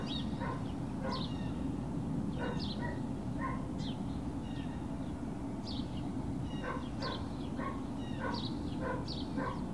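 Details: Puppy Hill Great Dane puppies on 21 March 2019. Bursts of sharp, high-pitched yips repeat in clusters through the stretch, with a constant low droning hum beneath.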